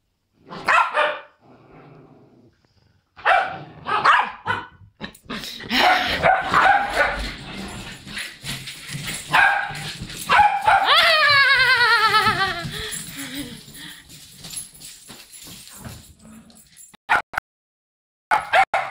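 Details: Several poodles reunited, barking excitedly in overlapping bursts, with a long rising and falling whine near the middle, a dense tangle of sharp barks, then quiet with a few last yaps.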